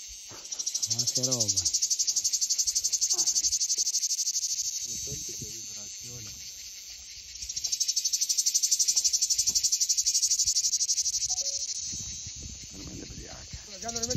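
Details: Cicada singing in two long waves of high rasping buzz, each swelling and fading over several seconds, with fast regular pulses throughout; faint low voices or other sounds are in the background.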